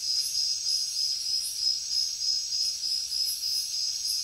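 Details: High-pitched cricket chirping in a jungle at night, quick regular pulses strung into an unbroken trill, with a thick background wash of insect hiss and soft rhythmic swells.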